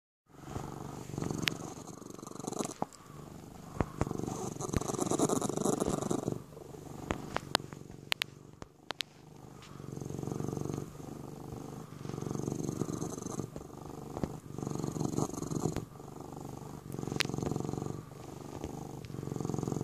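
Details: A Sphynx cat kneads while purring in a steady low rumble, pulsing in long waves with soft clicks and rustles.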